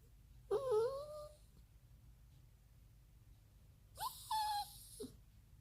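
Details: Pet dog begging to play outside, giving wavering, high-pitched whines that bend up and down, two separate bouts a few seconds apart, over a low background hum in a quiet room.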